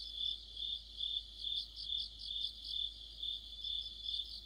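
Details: Crickets and companion insects singing in the heart of autumn, a high-pitched ringing trill swelling and fading in regular pulses, roughly two each second, over soft low background noise.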